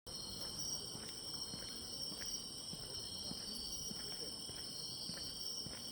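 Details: Grass insects singing on an autumn walking path: steady, unbroken high trilling in several layered pitches forms a continuous chorus, with soft footsteps crunching underneath throughout.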